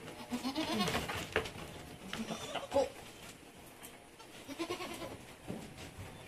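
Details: Goats on a farm in San Carlos City, Negros Occidental, Philippines, during kidding, with seven kids born in one day; short wavering bleats with rustling and handling noise.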